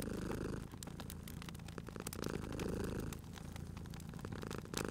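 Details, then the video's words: Sleepy cat by a warm fireplace gives a throaty purr in two long rumbling swells, with brief quieter gaps between breaths, accompanied by steady crackles and pops of burning wood. "Cute Purring Cat at a Crackling Fireplace"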